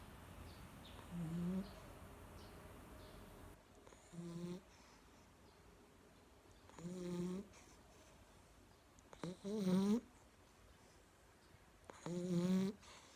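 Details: Sleeping Labrador Retriever called 朵儿, dozing on its owner's lap, snores steadily. Five rasping, faintly whistled breaths come roughly every two to three seconds against a quiet room.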